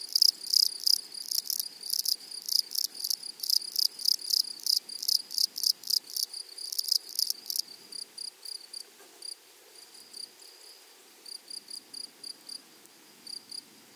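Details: Grasshoppers in a flowery meadow or prairie: dense trains of high, dry, rasping pulses in rapid bursts for about seven seconds, then thinning to sparse, fainter clicks and short buzzes.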